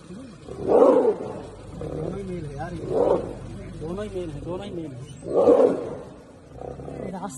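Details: Tiger in the wild, a growling roar in three loud broad bursts about two seconds apart, with men talking excitedly in between and over the calls.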